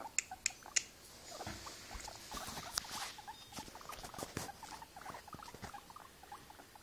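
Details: Guinea pig said to be tired, making quick, quiet squeaky blips in a loose series, with sharp clicks near the start and scratching, rustling sounds throughout.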